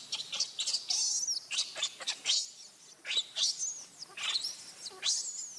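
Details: Baby monkey Leo crying and begging its mother for milk, very hungry; a busy run of shrill, high whistled squeals and sharp rising-falling cries, closely overlapping throughout with short gaps.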